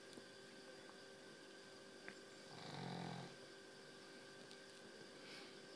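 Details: Snoring from a very tired dog: one low, rough rumble lasting under a second near the middle, over constant room hum, with faint ticks before and after.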